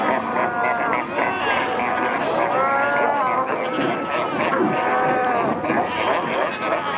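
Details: Fur seals in the water and on shore at Pelican Point, Walvis Bay, Namibia, where many pups were recently born, heard among kayakers; overlapping wavering bleats and moaning calls from many animals form a dense, continuous chorus.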